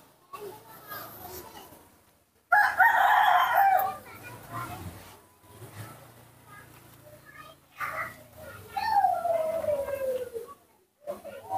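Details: A hand-raised baby monkey calls out when its father is not close by. It gives a loud rasping squeal, then quieter broken notes, and later a long whistle that slides steadily downward.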